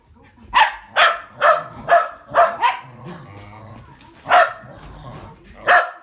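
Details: Tricolor Sky and blue merle Trevor, two Shetland Sheepdogs racing on 22 February 2017, give a quick run of five sharp barks about every half second, then two more after a pause, with faint human voices between.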